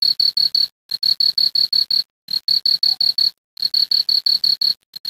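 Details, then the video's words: Night cricket by a creek, chirping in rapid high-pitched pulses. Each train of six to eight chirps is broken by a short silence of about a third of a second. The pattern repeats three times. "Cricket Sound."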